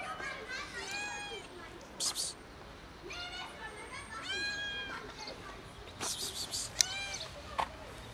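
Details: Kitten meowing hard while tumbling about: four or five high, arching, harmonic meows, each about half a second long, spread across the clip, with short hissy psst calls from a person in between.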